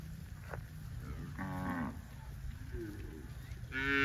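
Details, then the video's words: Tame cattle in green grass rice fields on a farm; a short harmonic moo near the middle, a faint lower call after it, and the start of a louder call cut off at the end, over low rumble. "COW SOUNDS"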